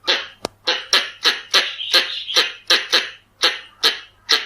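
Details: Red-bellied or Pallas's squirrel calling, a sound played to lure squirrels: a loud sharp click, then rasping, noisy chucks that run together in the middle and spread out toward the end.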